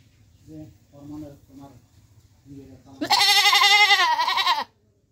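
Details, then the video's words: Goat in Bangladesh: after about three seconds of low human voices, one long, loud, quavering bleat lasts nearly two seconds, then silence. "Goat sound 2020"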